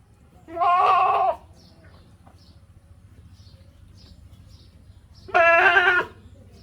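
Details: Goat bleating twice, each a loud wavering nasal bleat lasting under a second, separated by about four seconds of quiet low background hum.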